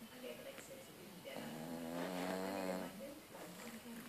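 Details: French Bulldog asleep, giving a single buzzy, vibrating snore of about one and a half seconds midway. Quiet breathing comes before and after it.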